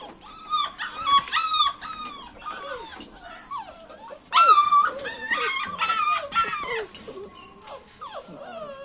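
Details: Pet dogs whimpering and yelping in high, wavering tones, with a louder burst of excited whines midway and a few low, broken whimpers toward the end.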